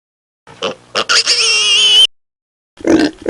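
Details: A few short grunts lead into a long, piercing piglet squeal with bright harmonics lasting about a second. After a pause, a low grunt follows from piglets feeding at the sow.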